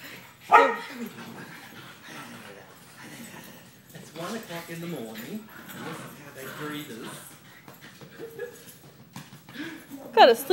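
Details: Puppies being brought in at 1:00am, excited, let out a sharp bark at the start and another near the end, with whining and yelping between, while a person talks and footsteps shuffle.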